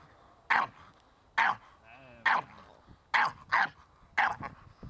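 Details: Staffordshire Bull Terrier puppy Ares in protection training, barking in loud bursts spaced roughly a second apart, with a brief wavering tone and voices heard between the barks.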